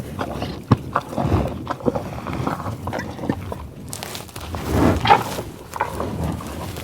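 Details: Buffalo in Oklahoma tallgrass prairie near Pawhuska: deep, rough grunts and snuffling breaths recorded up close, irregular puffs and a longer growling exhale near the end, with faint rustling and footsteps.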